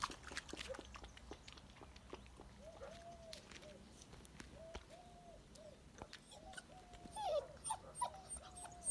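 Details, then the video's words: Active black puppy giving soft, thin whines that rise and fall, several short whimpers spaced through the recording, with sharper yelps near the end; frequent clicks and knocking noises in the background. "صوت جرو أسود نشيط"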